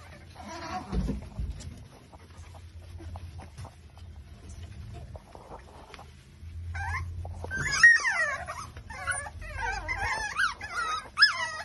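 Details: Exotic Micro Bully litter at five weeks old, Buffalo, New York: faint murmuring and low rumbles at first, then from midway a chorus of shrill, bending squeals and yips from several puppies overlapping to the end.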